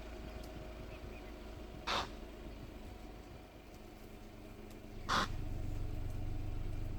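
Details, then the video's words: Impalas fighting beside the camp road at Punda Marin in Kruger National Park: two short, harsh, rasping bursts about three seconds apart, heard over the steady low hum of an idling vehicle engine. "Barulho estranho das Impalas"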